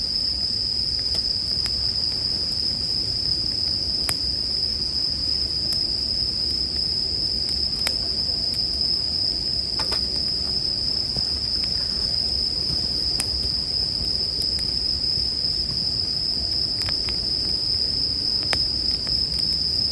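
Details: Continuous bright ringing of bell crickets, a high sustained trill without pauses, set against the snapping and crackling of a burning campfire, mixed for relaxation and sleep.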